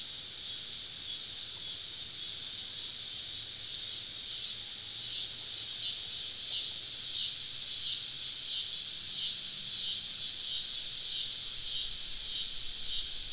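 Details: Massed cicadas deep in the woods on a summer evening in the South, heard while camping: an unbroken shrill buzzing wall of sound, even and continuous, with a faint low hum beneath it.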